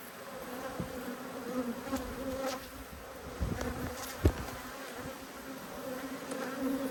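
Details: Steady drone of honey bees angered by a hive inspection, two hives, March 2022; the hum wavers slightly, with low rumbling handling noise and one sharp click partway through.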